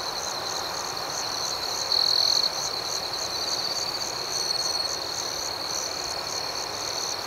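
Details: Crickets at night make an unbroken shrill drone with quick pulsing overtones. A louder trill bursts in early on, and softer trills follow later.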